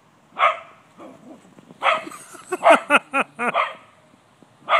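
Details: In a yard, cocker spaniel Gladys barks at a white-tailed deer to chase it off, mixing loud open barks with a fast run of short, higher yipping barks.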